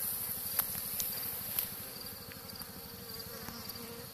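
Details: Honey bee swarm settling on a tree during hiving into a movable-frame Dadant box; a constant low hum of massed wingbeats with occasional faint clicks and a bee passing nearer.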